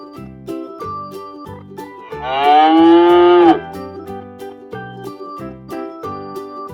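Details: A cow on a farm, shown in real footage for children: one long, loud, low moo lasting about a second and a half with a slight rise and fall in pitch, set over bouncy children's music.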